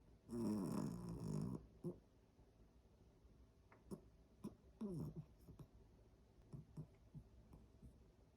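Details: Sleeping Pomeranian snoring in a quiet room: a long rasping, buzzy snore early on, a second drawn-out snore a few seconds later, and short soft snorts and breaths scattered between them.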